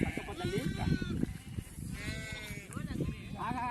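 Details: During PPR vaccination of a sheep flock, animals brought in one by one give trembling, drawn-out bleats, some rising then falling, mixed with steady talking nearby.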